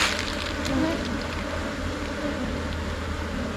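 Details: Asian honey bees, a Thai colony swarming and moving into a new hive box around noon: a dense, steady low hum of many wings with a droning tone, continuous throughout and slightly louder near the start.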